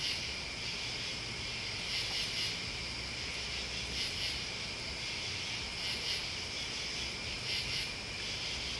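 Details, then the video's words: Crickets and bugs sustain a bright, unbroken shrill drone while quick high chirp groups repeat about every two seconds. A faint low rumble sits in the background. "Listening to Crickets and Bugs"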